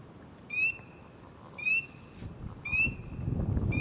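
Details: Close-up of one frog calling at the water, ripples spreading from its body as it calls. Three sharp upward-sliding chirps arrive about a second apart over a low rumbling background.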